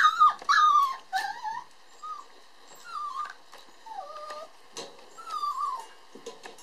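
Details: Born 22 December, the red male puppy opens with loud squeaky yelps, then settles into softer drawn-out whimpers, each a thin tone sliding down or wavering, spaced about a second apart.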